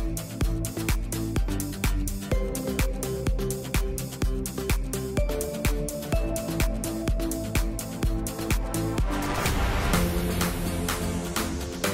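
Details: Upbeat electronic dance music with a steady beat plays throughout; no animal sounds are heard.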